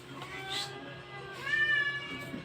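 A Persian cat gives a drawn-out, tonal meow while giving birth, after a fainter cry.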